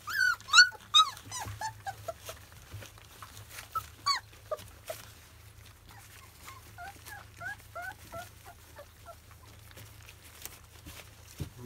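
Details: Field-bred Labrador Retriever puppies aged 25 days eating their first weaning food: sharp high yelps and whimpers up front, then a long stretch of small, repeated chirping squeaks, some overlapping, fading toward the end.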